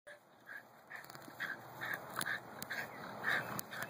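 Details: A Miniature Pinscher attacking a little groundhog in June 2015 gives short, sharp, high-pitched yaps in a fast, uneven series, about two a second, over scattered clicks and a light background hiss.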